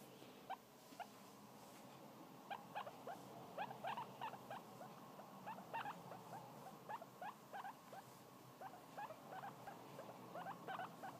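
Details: Newly arrived young pet guinea pig, described as tiny, giving short, faint rising squeaks in quick irregular runs, some doubled, several per second, over a steady low room hiss.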